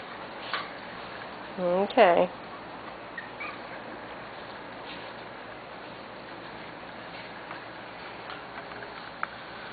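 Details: Corgi puppies from Sugar and Charlie's litter, almost six weeks old, on their first time in a play yard; two quick, high, wavering whimpers around the two-second mark, then quiet room hiss with scattered soft clicks and talk.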